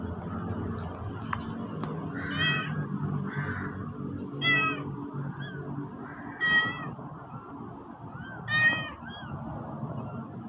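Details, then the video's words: Black stray mother cat carrying her newborn kitten in her mouth, asking people to follow her back to the nest; four harmonic meows spaced about two seconds apart over a low steady rumble of background noise. "Mama cat ask us follow her with newborn on mouth."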